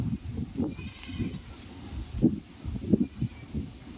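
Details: Goat bleating: several short, low, wavering bleats spread across the clip, with brief pauses between them and a faint hiss in the background.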